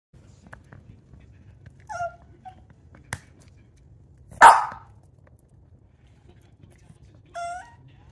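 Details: A female Boston Terrier gives short, high, nasal whines, begging for her brother's yak chew though she has her own.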